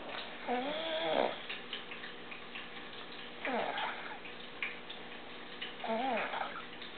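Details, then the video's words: Zena, a pug, snoring while asleep under a chair after an exhausting Rochester Canine Playgroup event; three wavering, nasal snore breaths, each about a second long and a few seconds apart, over quiet indoor background. "Zena the Pug Snoring"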